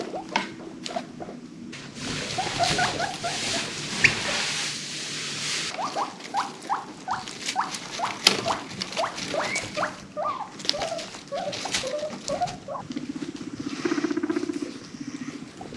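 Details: A pet guinea pig from a herd of five adopted from a rescue gives a run of short, rising squeaks over steady rustling and pattering.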